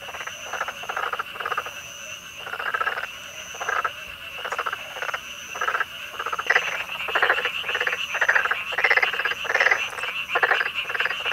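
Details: A black-spotted pond frog (Pelophylax nigromaculatus) in Korea gives harsh, rattling mid-pitched croaks, repeated about once a second, calling mostly from the water with two inflated vocal sacs under the jaw.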